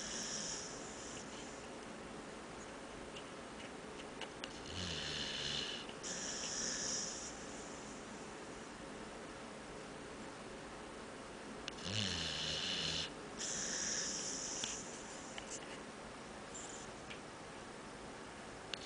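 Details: Dog asleep on a couch, snoring like a human: hissing, airy breaths with a low rumbling inhale, recurring roughly every six seconds through a quiet indoor room.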